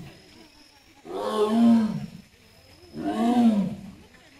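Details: At Hamamatsu Zoo in Japan on 24 September 2023, a captive Amur tiger moving toward its bamboo grove gives two strong, throaty roars, each about a second long and swelling then dropping, nearly two seconds apart.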